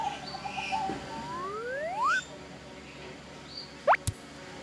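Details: A ring-tailed lemur at Singapore Zoo's Fragile Forest, during a breakfast of vegetables and sweet corn, gives smooth, rising, whistle-like calls over faint chirping in the background.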